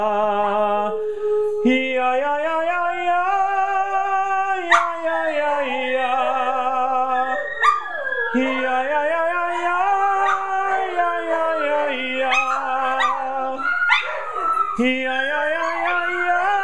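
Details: Several pet dogs at home on a Friday night howl together on the owner's prompt, a habit they took up naturally without training. Overlapping wavering howls rise and fall and start afresh every few seconds, with brief yips; the owner praises them.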